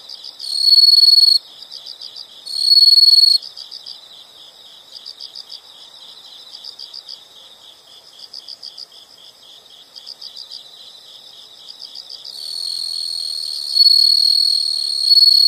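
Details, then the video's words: High rapid insect chirps pulse steadily throughout, broken by loud, sustained shrill trills lasting about a second each, then a longer ringing trill near the end. "the sound of insects"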